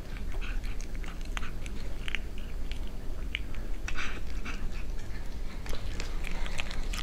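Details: Close ASMR recording of a cat eating, with irregular crisp bites and wet chewing ticks, louder clustered crunches around the middle, set against a steady deep background hum.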